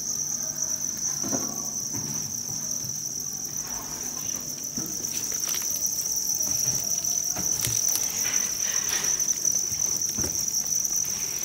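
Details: Many farmed field crickets at a cricket farm in Nam Định and Hà Nội, Vietnam, that buys crickets from farmers in the provinces; a dense, unbroken high shrill chorus holds steady throughout, with scattered handling clicks and rustles.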